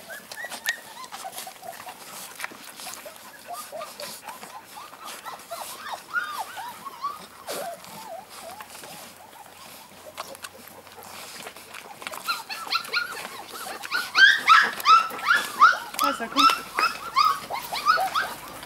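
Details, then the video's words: A group of Golden Retriever puppies, about 8 kg each, with their mother dog: many overlapping high, arching whines and squeals, sparse at first, then a denser and louder chorus of yelps after about twelve seconds. "Ein Meer voller Goldis"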